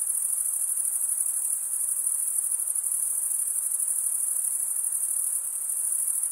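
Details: Stridulating crickets make a rapid, steady high trill pulsing about three times a second, blending into a continuous shimmering chorus with soft background noise.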